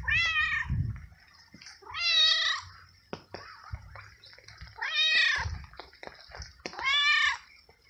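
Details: Wet stray cat, found unsheltered in the rain and given treats, meowing a lot; four loud, drawn-out harmonic meows spaced roughly two to three seconds apart, with soft rustling and low thumps between them.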